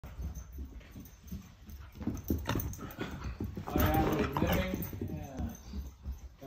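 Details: A Shiba Inu playing wildly with an older dog gives a run of low grumbles and strained, whiny yelps, loudest in a tonal burst midway, over scuffling bumps, and a person briefly murmurs near the end.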